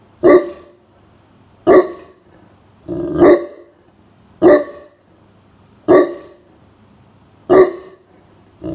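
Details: A giant Great Pyrenees named Blanche barks at a stranger approaching the home while resting indoors on a summer afternoon. Six single deep barks come evenly, about one every one and a half seconds, with quiet between.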